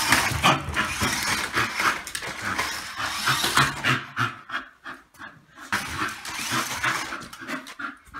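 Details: Bull Terrier playing with a remote-controlled car, panting in rapid, rhythmic, breathy puffs, with a short, quieter pause partway through.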